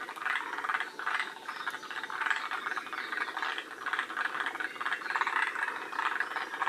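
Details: Several forest green tree frogs at Shiriya in Aomori, Japan, near the species' northern limit, calling together: a busy, overlapping chorus of harsh rattling croaks in quick bursts, swelling and fading without pause.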